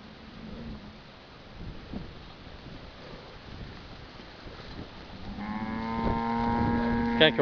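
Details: Heifer caught tangled in a tree gives a long, steady, harmonic low moo in the final two seconds, after quiet rustling and background noise at the start.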